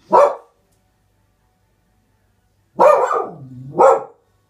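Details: Springer Spaniel puppy barking at something outside: a single sharp bark, then after a pause of over two seconds a bark that trails into a low drawn-out growling whine and ends in a final sharp bark.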